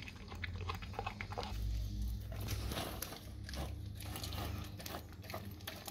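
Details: A dog works on raw cow tongue, giving dense, wet chewing and gnawing sounds with sharp crunchy clicks, against a continuous low drone indoors.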